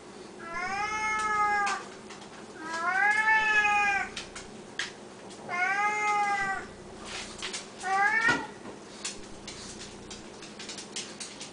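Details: Siamese cats at indoor feeding time, calling loudly for food; three long wavering, nasal meows each about a second and a half, spaced roughly two seconds apart, then a shorter fourth cry and a faint click.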